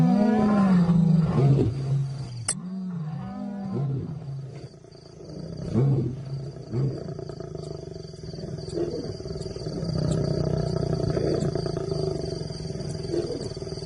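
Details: Wildlife documentary lion giving throaty, low growling roars for the first few seconds, then fading into a quieter low rumble with soft background noise.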